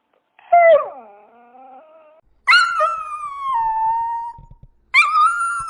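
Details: Dog giving three separate drawn-out whining howls, each starting high and sliding down into a long level tone, with short silent gaps between them.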